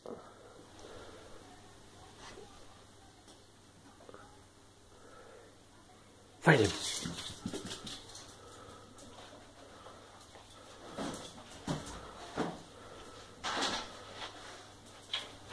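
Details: A female Staffordshire Bull Terrier barks on command while expecting a treat: a sudden sharp bark, followed by several shorter barks or huffs.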